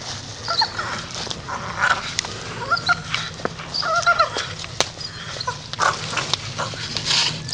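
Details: Grumpy Staffordshire Bull Terrier making low-level grumbling noises: short, scattered whiny vocal fragments spread across the recording, with soft rustling between them.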